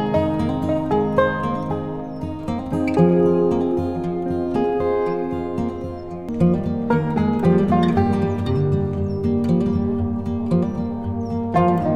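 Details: Gentle plucked guitar music plays throughout with no animal sound.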